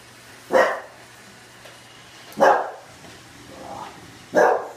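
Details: Oliver, a bulldog, barking during his encounter with a Roomba: three loud, short barks spaced about two seconds apart, with a steady low machine hum underneath.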